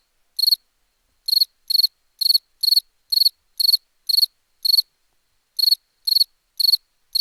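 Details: Cricket song from a summer sound collection: about a dozen bright, high, trilled chirps repeated roughly twice per second, with one brief pause midway, against a completely quiet background.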